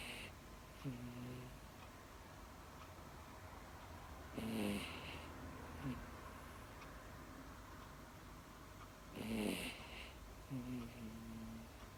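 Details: Sleeping female Miniature Dachshund, a pet dog, snoring steadily: loud raspy snores about every five seconds, with softer whistling nasal tones between them, in a quiet indoor setting.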